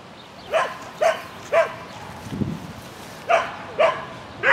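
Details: Sheltie Lesya yapping during an agility run, spring 2016 event on 22 May 2016: six shrill, clipped barks at uneven gaps, about two per second, over a soft background hum and one low thump.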